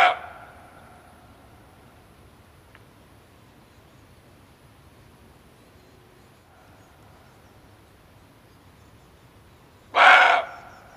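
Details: Male barking deer calling, its voice used to attract it during hunting. A bark is cut off at the very start, then a long quiet stretch, then one sharp, harsh half-second bark near the end.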